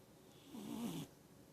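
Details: Sleeping pet cat snoring, a single soft, rough breath lasting about half a second with a slight wavering tone, heard close up in a quiet room.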